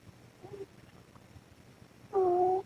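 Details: Ros, a mother cat sleeping under the camera, snoring; a faint nasal note, then one louder two-toned whistly snore near the end, over hissy background noise from maximum recording gain.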